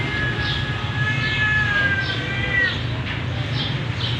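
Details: Male Persian cat in Gujranwala giving a long, drawn-out meow with a clear stack of harmonics, holding steady and then sliding slightly downward before trailing off into softer mews, over a constant low rumble.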